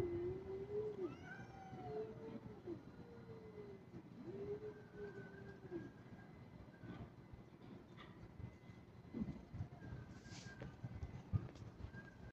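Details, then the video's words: Kitten said to be in an aggressive mood meows four times in quick succession, each call arched and drawn out, then goes quiet while low rumbling noise and a few soft knocks continue. "Cat sound meow || Kitten"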